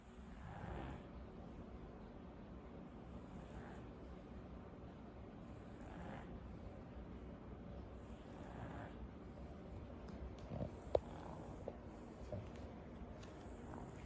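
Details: Sleeping French Bulldog snoring: soft, raspy, noisy breaths swelling and fading roughly every two and a half to three seconds against a quiet hiss, with a few faint clicks late in the recording.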